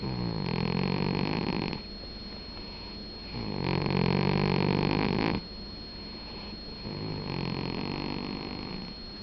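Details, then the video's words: Domestic cat asleep and snoring, three drawn-out raspy breaths roughly every three seconds, rumbling low with airy hiss on top, quieter pauses between, and a constant thin electronic whine in the background. "Gato roncando"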